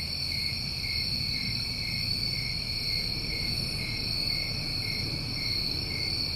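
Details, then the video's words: Many crickets trill together in a New England summer, producing a constant shimmering high buzz in stacked pitch bands that barely changes in loudness, with mild low ambient rumble beneath. "Over 1 Hour Of Tinnitus Masking With Crickets"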